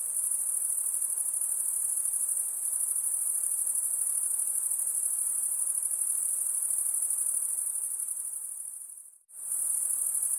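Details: A high-pitched insect chorus by a lake hums steadily, fades out briefly near the end, then resumes at full strength.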